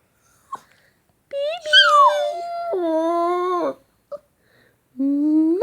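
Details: Shih Tzu puppy making cute sounds when kissed or called baby indoors. Two drawn-out whining vocalisations, the first rising then sliding down, the second level and sustained, then a rising whine at the end, with faint kissing sounds between.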